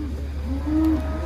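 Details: Cattle at the Kontes Sapi APPS IPB 2022 cattle contest, arriving by truck from the Bimasakti stable. A single steady, level, nasal moo holds for about a second over a continuous low engine hum.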